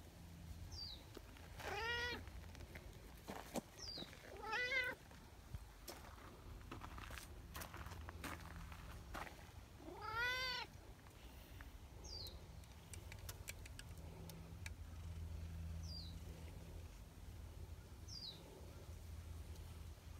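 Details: Affectionate community cat Nyahha, a brown tabby king cat fresh down from the mountain, calling loudly: three long, drawn-out meows in twenty seconds, one at the very end, over a steady low outdoor rumble, with short high chirps scattered through.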